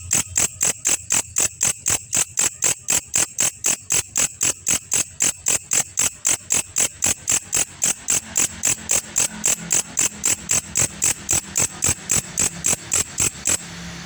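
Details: Grasshopper known locally as belalang kecek, recorded as a master track for training songbirds: sharp, raspy ticking pulses repeated steadily about four times a second for the whole stretch, bright and hissy, with a faint low hum underneath.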